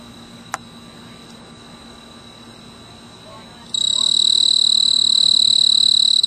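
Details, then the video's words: Snowy tree cricket (Oecanthus fultoni), a male calling for a mate from a purple clematis flower on a veranda in mid-August. After a near-silent opening with one click, a sharp, high, continuous pulsed trill starts abruptly and holds to the end. "Snowy Tree Cricket"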